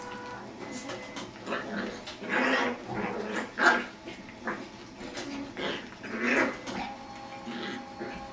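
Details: Jack Russell terrier puppy playing with a beagle indoors makes odd whiny noises: a run of strained whimpers and yelps rising and falling in bursts, with a quiet steady hum behind.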